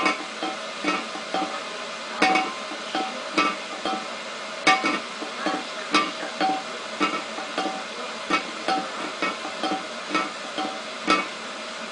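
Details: Plucked guitar music with regular sharp percussive taps throughout and no meowing or other animal sound.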